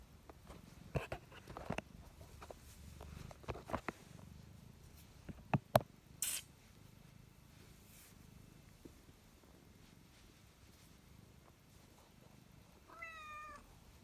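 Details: A house cat gives one short, slightly wavering meow near the end, after a long stretch of soft rustling, tapping and clicking handling noises in a small indoor room.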